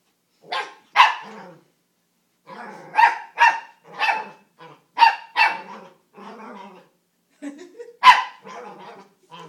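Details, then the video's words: Shetland Sheepdog puppy, female, taking interest in her people working out: short yappy barks mixed with throaty grumbles and whiny vocal noises, in irregular bursts separated by brief silences. "Talking Sheltie Puppy Obsessing Over Workout"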